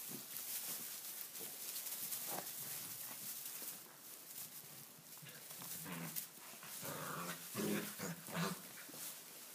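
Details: Six-week-old Tibetan Mastiff puppies playing wildly indoors in a stable for the first time, kept in because it is wet outside; constant scuffling and rustling with short yelps and whiny squeals breaking through near the end.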